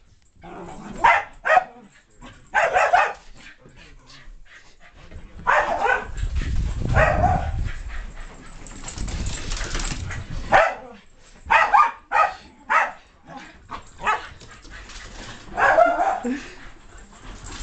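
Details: Keeshond named Loki playing chase in the house with Spike, a mixed-breed dog; clusters of barks and yips separated by a stretch of scuffling, thumping noise.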